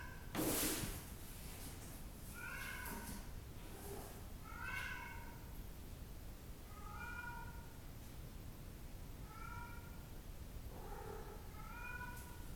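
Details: Bengal kitten arching its back, posing to look big and strong; a series of short, thin, high meows with clear harmonics, about six calls spaced one to two seconds apart, over quiet background hiss and a brief knock at the start.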